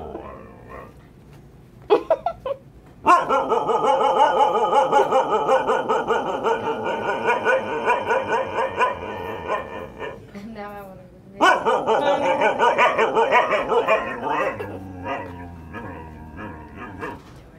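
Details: Female Siberian husky howling indoors at a vet clinic while waiting for her eye exam, a long wavering sung howl with pulsing, yodel-like warbles, broken by a brief pause and a few short sharp yips, then resuming.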